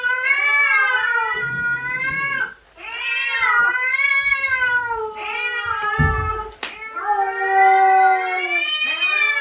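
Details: A cat gives long, wavering yowls, drawn out in four rising-and-falling wails over nine seconds, with a brief knock partway through, as a dangerous cat appears in its territory.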